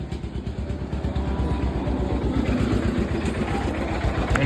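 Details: Throbbing idling engine, likely a motorcycle or other vehicle, dominates outdoors with faint voices, and no animal call heard.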